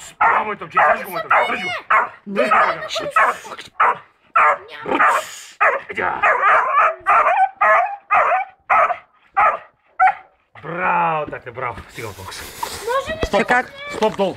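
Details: Seven-month-old beagle named Rambo gives a rapid run of harmonic barks and yelping bays, roughly a hundred a minute with short gaps. Toward the end the rhythm breaks into drawn-out whining cries, and a person's voice mixes in.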